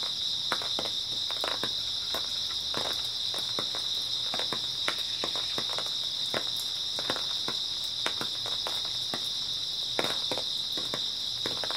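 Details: Grass insects on an early autumn night trill in a steady, high continuous chorus, overlaid by frequent sharp crunching clicks like footsteps on dry ground.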